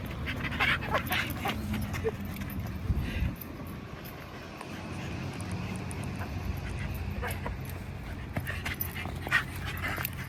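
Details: Shiba Inu at a rooftop dog run, excited by a big pile of toys, gives faint high whimpering yips near the start and again near the end, over a steady low hum with a person's voice nearby.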